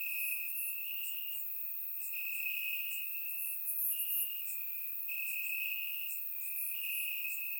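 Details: Night chorus of crickets in Bulgarian grass on a warm summer evening, surround-recorded; continuous high-pitched trill wavering slightly in pitch, with sharper bursts of chirps above from other callers.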